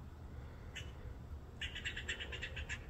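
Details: Squirrel chirping while grooming itself: one short chirp, then after a pause a quick run of about eight sharp, bright chirps repeated several times a second, over steady low background rumble.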